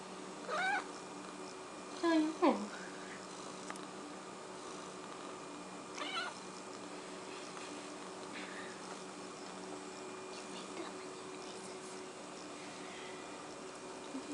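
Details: Six-month-old cat hunting a fly, making short chirping and chattering calls with bright harmonics, a quick pair near the start and another burst a few seconds later, then long quiet gaps while a person talks softly.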